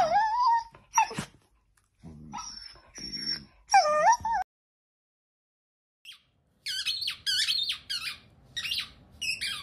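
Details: Playful miniature dachshund whining in long, wavering, moaning tones with a few sharp breaks, then after a short silence a run of quick, high, squeaky yelps in bursts.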